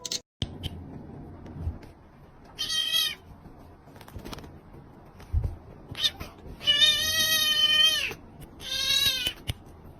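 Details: Pet cat named Tucker, indoors attempting a quiet challenge, lets out a series of bright meows: one short call, a few brief chirps, then a long steady meow and a final shorter one, with faint clicks between.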